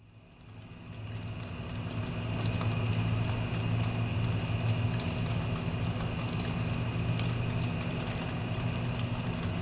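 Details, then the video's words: Crickets after a passing storm, a steady high continuous trill held on one pitch, fading in over the first two seconds, over the low droning hum of an air conditioner. "Cricket Sounds with Air Conditioner (After Passing Storm)"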